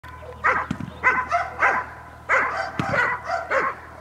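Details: Dog barking during a training session recorded on 5 May 2015; loud, sharp barks come in uneven bursts, about nine in four seconds, with short pauses between groups.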